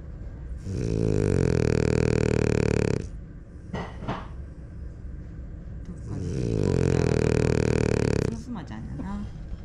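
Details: Smile, a pied female French Bulldog, snoring loudly: two long, rasping, deeply harmonic snores, each about two and a half seconds, separated by a quieter pause with faint breathing.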